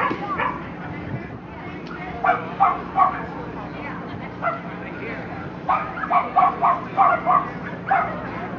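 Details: Lhasa Apso at the Somerset Hills Kennel Club dog show, Saturday September 5th 2009, giving short sharp barks in irregular bursts, some doubled, over steady wind rumble and people talking nearby.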